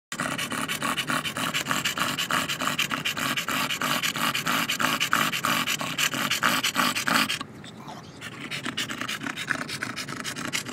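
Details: A Staffordshire Bull Terrier on a hot day pants loudly and rapidly, a harsh rhythmic breathing about three times a second.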